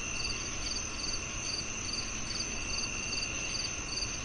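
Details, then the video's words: Steady cricket chorus: bright, high chirps repeated roughly every half second above a continuous shrill hum, with faint low rumble underneath. "The Cricket Sounds"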